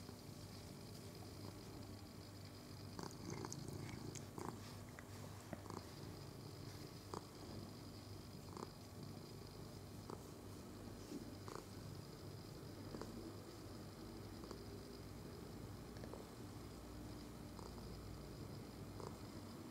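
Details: Domestic cat stroked on 22 November 2018, purring in a low, unbroken throbbing drone for the whole stretch, with regular soft taps and brushing noises from the petting hand.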